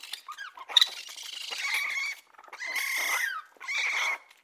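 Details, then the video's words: High, thin squeals and whining whistles from a raccoon, some held and slightly wavering, in three bursts separated by brief pauses. "Raccoon sounds | The amazing sounds of raccoons"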